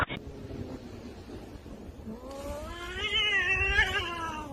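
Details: Domestic cat making a long, drawn-out, wavering wail that rises then slowly falls, lasting over two seconds, with a low background rumble.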